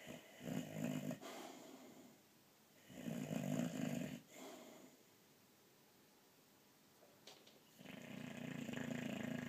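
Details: Pet boxer dog asleep indoors, snoring heavily: deep, rasping snores in long drawn-out bursts about every three to four seconds, with quiet breathing pauses between.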